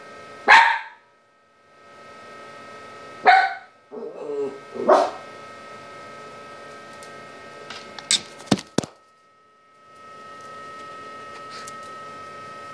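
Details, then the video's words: A Toy Poodle reacting to a spy cam it has noticed, then disabling it. Three sharp, bright barks come in the first five seconds, followed by knocks and thumps near the camera and a constant background hum. "Toy Poodle notices then disables spy cam"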